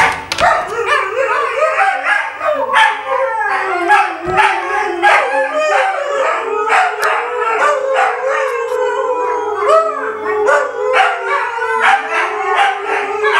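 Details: A pack of six Tamaskan dogs, recorded in 2012, howl together while impatiently waiting for breakfast and a run, in overlapping, wavering voices broken by short yips.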